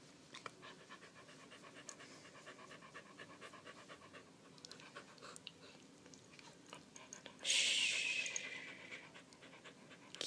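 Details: Quick, even panting from Candy, a household dog scared by the fire alarm's battery-change noise, runs steadily for ten seconds, with a sudden loud hissing burst of noise near the end.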